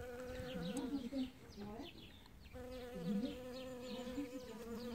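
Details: Bee collecting pollen in early spring as the first flowers open; a steady, low droning buzz with rising and falling swells as it moves, under frequent quick, high chirps from birds nearby.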